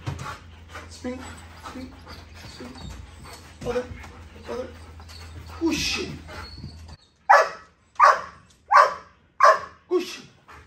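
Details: Belgian Malinois dog named Simba; a person speaks encouragement such as "push it" for the first seven seconds, then five loud, sharp barks follow at steady intervals of roughly two-thirds of a second.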